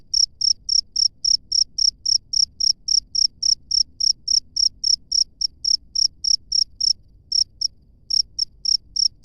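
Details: Free-living cricket producing a long run of piercing, regular chirps, close to four each second, briefly faltering near seven seconds before continuing; faint low background noise.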